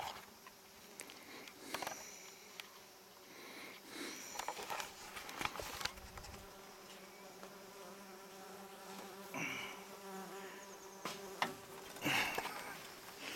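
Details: Bees busy collecting food in a front yard in July 2019 buzz with a steady, low drone, joined by a scatter of sharp taps and clicks.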